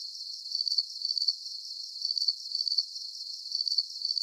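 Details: Crickets in a sleep-aid soundscape give high, pulsing chirps in quick clusters of a few beats each, repeating at a fairly steady pace against faint background hiss.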